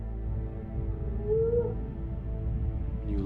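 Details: A humpback whale song unit from NOAA underwater ocean recordings: a low, drawn-out bellow that swells into a brief rising moan over deep rumble.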